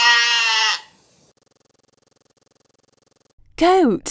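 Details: Goat giving a brief, bright, quavering bleat, then silence and a short spoken word at the end.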